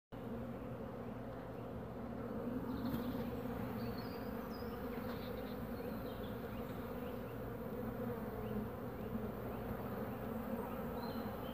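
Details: Carniolan honey bees guarding and defending their hive entrance against wasps. A dense, steady, low humming drone of many wings runs throughout, with a few faint high squeaks on top.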